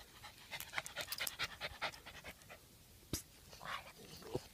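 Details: Jack Russell Terrier walking in the countryside, panting in quick breathy bursts of about two a second. The panting then trails off, with a few sharp clicks and rustles.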